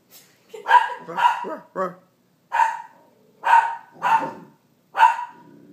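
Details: Sasquatch the Bernedoodle puppy lets out about six short, high barks, roughly one every half to one second, with a faint soft whine near the end.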